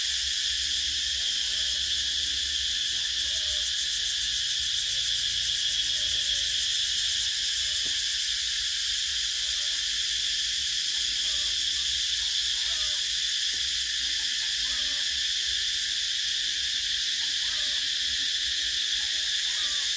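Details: Cicadas fill a summer countryside in Vietnam with a steady, high, shimmering buzz that never lets up, recorded in 2024.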